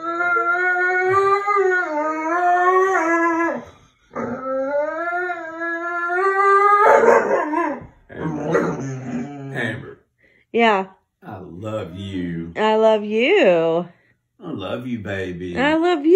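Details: Indoor pet dog, a female, mad at her owner for ignoring her: a long, wavering, sung howl, then a run of short, choppy yips, whines and yodel-like grumbles separated by brief silences.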